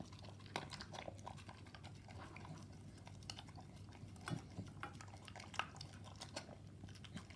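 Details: Staffordshire Bull Terrier eating a mix of raw meat and dog food indoors; continuous wet chewing, licking smacks and occasional louder bites over a low steady hum.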